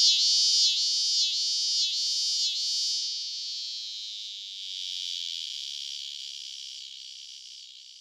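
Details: A male scissor-grinder cicada, Neotibicen pruinosus, one of the most common annual cicadas in Illinois and the Midwest, singing by day, gives a harsh, high buzz with slow pulses of one or two per second, then a steady, fading drone.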